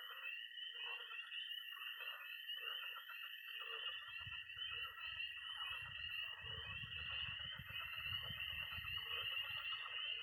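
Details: Night chorus of tree frogs, pond frogs and toads in a Missouri pond in early spring. A steady shrill trilling and peeping drone holds throughout, with scattered croaks and a low rumble swelling in from about four seconds.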